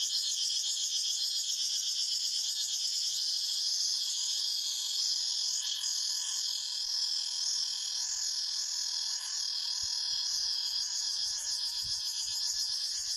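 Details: A forest cicada chorus: an unbroken, piercing metallic whine in several layered bands, with a slight wavering throb and a few soft low thumps late on.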